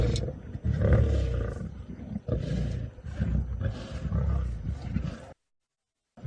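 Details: Lions of the Nkuhuma pride growl in deep, rumbling bursts on a sunset drive at Djuma, Sabi Sand, South Africa, on 13 March 2018. They squabble over the last remains of a buffalo carcass because too little meat is left.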